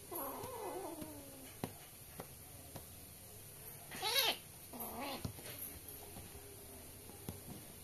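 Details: Pair of young kittens playing at home in India; soft wavering mews at the start, then a sharp, loud squeaky meow midway and a shorter one after, with faint clicks and taps between.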